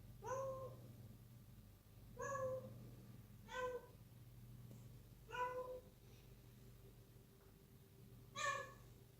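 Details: Young kitten, six months old, awake and playful at night indoors, giving short clear meows roughly every two seconds, five in all, each slightly rising then falling, with a faint constant background hum.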